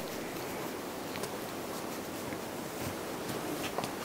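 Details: Steady roaring wind or surf-like noise outdoors with scattered crackles and rustles, and no animal sound.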